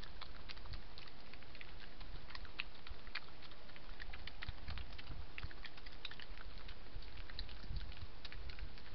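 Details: Two European badgers, nightly visitors near a hide, crunch and chew peanuts put on the ground: rapid, irregular crackles and snaps, close and steady, with soft low rustling underneath.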